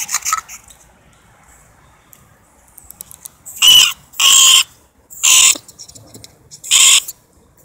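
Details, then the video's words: Norway rat: four harsh, breathy hissing bursts, each about half a second long and spaced roughly a second apart, following a brief noisy scrape at the start, in otherwise quiet surroundings. "Norway Rat vocalization"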